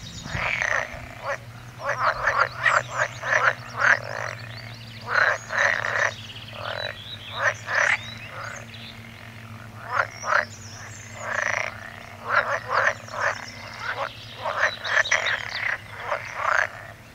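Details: Frog chorus of quick, clicking croaks in clustered bursts separated by short gaps, multiple animals calling over a faint low hum.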